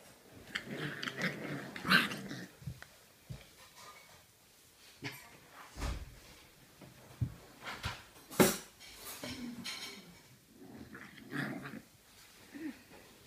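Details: Small puppies fighting indoors in a small room: low, rough growls and scuffling, with short yelps and snarls in irregular bursts and quiet gaps between.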